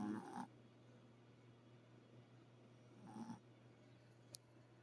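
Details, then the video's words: Sleeping dog snoring softly, two short rasping breaths about three seconds apart over a steady low electrical hum, with a faint click near the end. "Snoring dog"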